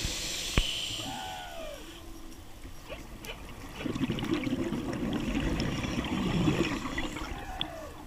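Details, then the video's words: Humpback whale calls heard by a diver underwater at The Maze, South Caicos, Turks and Caicos, 11 March 2013: brief tonal downward-sweeping moans among bubbling and rushing water. "Humpback Whale Calls"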